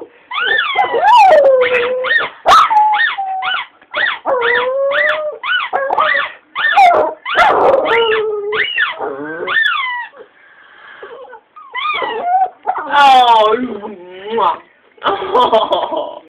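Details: Indoor pet female dog howling along to a talking Tony Blair toy, a rapid run of short rising-falling yowls, then drawn-out wavering howls and moans with pauses, the toy's sounds faintly between them.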